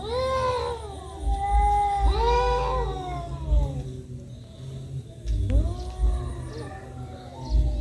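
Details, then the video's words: Fighting cats yowling: two long, bending wails in quick succession, a quieter stretch, then a rising moan, all over steady low-pitched background rumble. "Kucing berantem, Kucing berkelahi"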